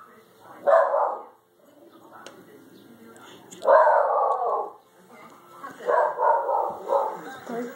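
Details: A Shiba Inu in a backyard gives drawn-out, yelping barks at a bird stuck in a bush: two single barks a few seconds apart, then a quick run of several, while a person faintly reassures him.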